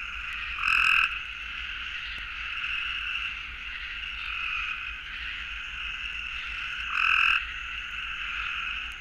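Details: In Florida, a southern gray treefrog gives its mating call, a short, high, simple rapid trill, over a steady background hum of calling frogs.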